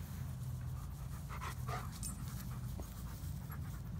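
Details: Midnight, a black former stray dog taken in during December 2017 and now living with two yellow Labs, pants in soft rhythmic breaths, a few sharper huffs clustered mid-clip over a steady low hum.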